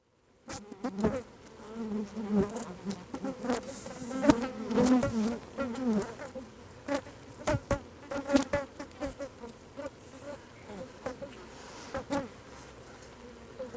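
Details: Asian honey bees (Apis cerana) recorded at close range buzz with a low droning hum broken by sharp ticks and taps, with a background hissing alarm signal likely triggered by the microphones in their habitat.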